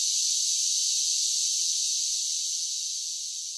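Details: Cicadas singing on a summer day: a continuous shrill buzz that fades gradually toward the end.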